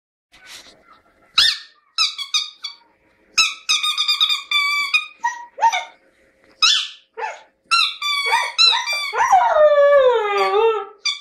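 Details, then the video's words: Siberian Husky singing indoors in a lyrical mood, likely expressing its feelings: a string of short yips and harmonic yelps, then a long wavering howl that slides downward over the last few seconds. "Хаски поет"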